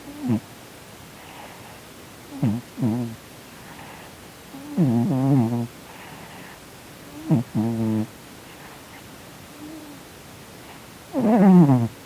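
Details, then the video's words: Sonny, a sleeping male Korean shorthair cat, twitching and snoring through what seems a Halloween nightmare; a series of short, low, throaty moans and grunts at irregular intervals over twelve seconds, some longer and wavering, with soft breaths between. "Cat Twitching and Snoring in his sleep - 코골면서 경련하는 고양이"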